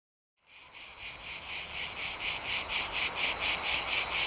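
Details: Cicadas chirping in a Mediterranean summer setting, recorded in nature: a loud, harsh buzzing chorus starting after a brief silence, pulsing in regular swells about twice a second, steady and high-pitched throughout.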